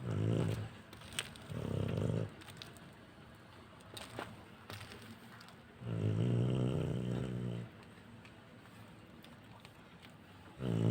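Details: Bablu, a sleeping pet dog, snores in deep, rough, low-pitched drawn breaths: four long rattling snores spaced a few seconds apart, the longest near two seconds, with quiet room stillness and faint clicks between them.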